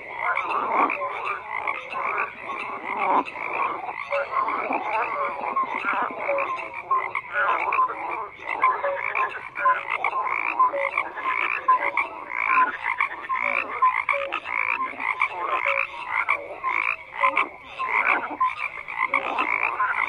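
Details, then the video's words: Continuous massed croaking of frogs, rough pulsed calls stacked and overlapping for the whole stretch with short tonal notes scattered through the middle. "FROGS CROAKING"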